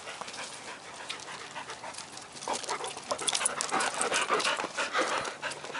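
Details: Panting from a dog playing ball near Ann Arbor: hissing breaths that start soft and grow louder and denser in the second half, uneven in rhythm.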